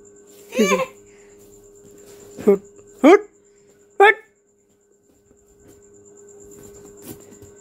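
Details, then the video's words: Baby goat in a village with a small boy, giving four short, wavering, nasal bleats over about four seconds, one sliding sharply upward, then quiet; a steady electronic tone hums throughout. "Baby goat sound"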